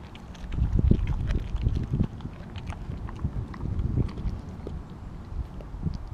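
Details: Kobi, a Siberian Husky, eats a whole raw mackerel in one go; irregular wet crunches and chewing clicks come several times a second, with louder bites near the start, over a low rumbling background.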